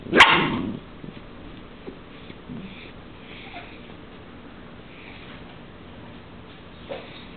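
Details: A Dachshund during a mating dance between a male and a female lets out one sharp, loud bark, then only faint snuffles over a quiet steady hum.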